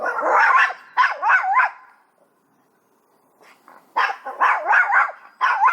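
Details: A Chihuahua at home reacting to a cat in the garden, giving loud bursts of rapid high yapping barks, three or four per burst, a pause, then further quick yaps; a person talks before and after.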